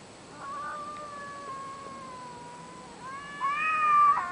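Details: Cats caterwauling late at night outside a window on a street: a long, wavering, drawn-out yowl holding a steady tone, then rising into a louder, higher wail near the end.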